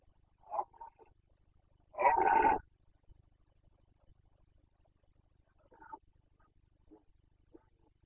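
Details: Carpathian red deer stag in Bucovina, Romania, during the 2021 breeding season, giving the rutting roar known as boncănit: a short quiet grunt, then one loud, rough, harmonic bellow lasting about half a second, followed by faint scattered grunts.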